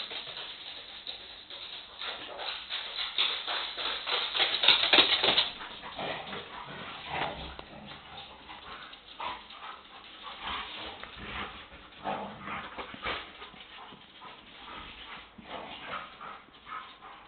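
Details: Several pet dogs playing together, giving a steady run of rough, breathy growling and huffing bursts that swell loudest around the fifth second and then continue more softly in quick, uneven pulses.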